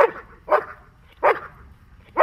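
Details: Dog in protection training barking on a spoken Czech command. Four loud, sharp, harsh barks come roughly every 0.6 to 0.7 seconds, with quiet pauses between them.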